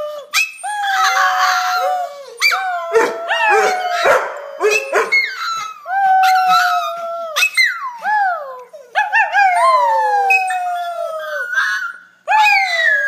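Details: A domestic dog 'sings' in a run of howls. Sustained tones glide and wobble, then drop off, broken by short yelps and gasping breaths. Several phrases rise steeply before tailing down across about thirteen seconds.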